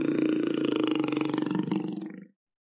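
A black panther gives a deep, rasping roar that rumbles for about two seconds, then fades.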